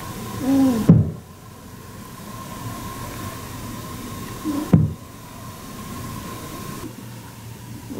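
A rabbit gives short, low grunts of annoyance, each ending in a sharp thump-like click.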